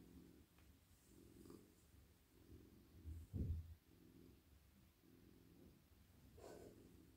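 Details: A very friendly male house cat, melting in a lap while his head and neck are stroked at night, purrs in a steady low rumble rising and falling with each breath. One louder snort-like burst comes midway.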